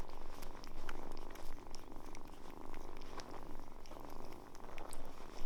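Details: Kittens warming quickly to people purr steadily at close range, a low rumbling drone swelling and fading in breath-paced waves about every second, with soft rustles and clicks.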